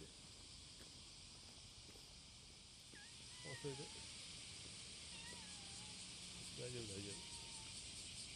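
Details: Summer-morning cicada courtship song, July 30, 2017: continuous shrill pulsing drone, overlaid by a few short whistled bird notes and brief low voices or animal sounds in the middle.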